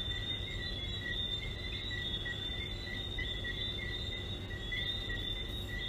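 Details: Frogs at Sandals form a dense, unbroken chorus of high whistled chirps in two steady pitch bands, many callers overlapping, over a constant low rumble.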